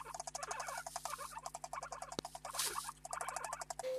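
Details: A guinea pig chatters its teeth in rapid bursts of dry rattling clicks, an aggressive dominance signal, often heard when two males stand up to each other to sort out the hierarchy.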